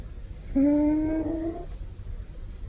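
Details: Pet male cat napping contentedly and snoring with a big sound: one steady, reedy, humming breath lasting just over a second, level in pitch and gently fading, with faint low background rumble.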